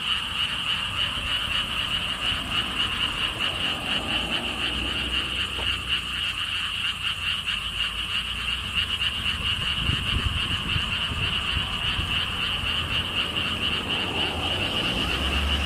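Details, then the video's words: Frogs in the lotus ponds of a Siheung theme park, Korea, by a stone wall path: a sustained chorus of rapid pulsed croaks, continuous and dense, with wind noise and a faint passing vehicle hum. "개구리 소리"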